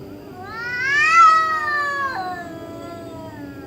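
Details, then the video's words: One loud, strained yowl from a cat at night that climbs steeply, peaks harshly after a second, then slowly falls into a long, fading moan. "Cat Making Spooky Noises Middle Of Night"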